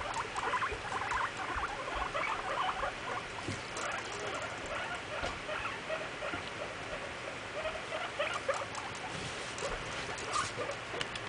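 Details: Pet guinea pigs in their cage asserting dominance over one another; a continuous stream of soft, rapid rumbling pulses and chatters with scattered faint clicks.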